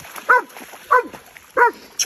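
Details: Belgian Malinois baying a hog: sharp, harmonic barks repeated about every two-thirds of a second, three full barks and the start of a fourth, with little else behind them.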